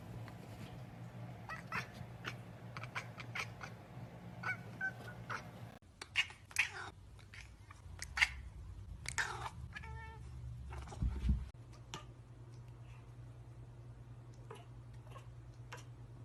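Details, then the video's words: Kittens making funny noises: a run of short squeaky mews, then louder harmonic, drawn-out wailing calls in the middle, fading to a few soft mews over a constant low hum. "Hilarious Baby Cats Talk and Make Funny Noises"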